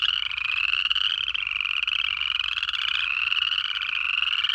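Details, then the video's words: Frog chorus from the Georgia Piedmont in January: many overlapping high, rising peeping calls packed closely together, with a faint low rumble underneath. "Georgia in January: 1 Hour of Native Frog Calls"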